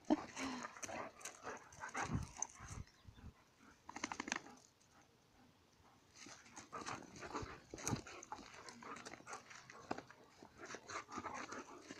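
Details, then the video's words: Dogs fighting, with rough, noisy growls and snarls in bursts, broken by a short quiet stretch midway, then steady scuffling and growling until the end. "Fighting dogs - cani che lottano"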